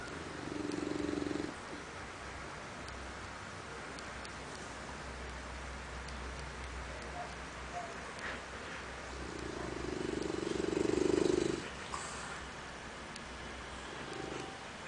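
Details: English Bulldog. An English Bulldog snores with low, rasping drawn-out breaths that swell and fade. Two snores stand out clearly against a soft, steady room hum, with quiet gaps between them.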